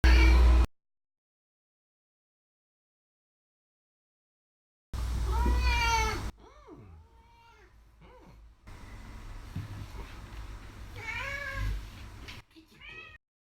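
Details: Contented house cat basking in the sun and pushing up its hindquarters as it is petted; a few drawn-out, wavering meows with rich harmonics, separated by quiet stretches and soft rustling.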